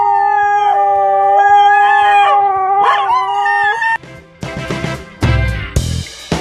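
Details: Two small dogs howling in a tantrum as their owner goes out the door without them: long, steady, tonal howls with a bending pitch for about four seconds, then brief broadband bursts of noise.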